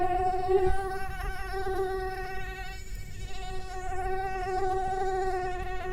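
A mosquito's thin, steady whine, a high-pitched hum that holds its pitch with slight wavering.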